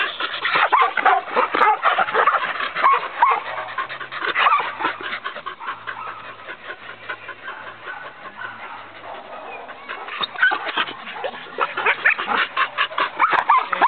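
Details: Australian Cattle Dog, a herding breed, yelping and whining in rapid, uneven bursts, with some panting and a quieter stretch midway before the excited barking builds again; a faint low hum runs underneath.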